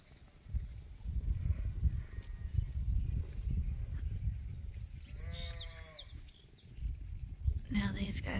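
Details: Sheep at Ewetopia Farms on a morning turnout, let out to fresh pasture for the first time this year and gathering at a willow tree; a wavering, quavering bleat rises midway, a shorter bleat follows near the end, over steady wind rumble and a man talking.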